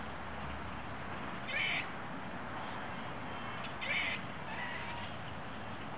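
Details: In central Illinois, USA, a squirrel sitting in its tree gives two brief, harsh, buzzy trilling bursts a couple of seconds apart, which the recordist believes are territorial calls, over steady background hiss.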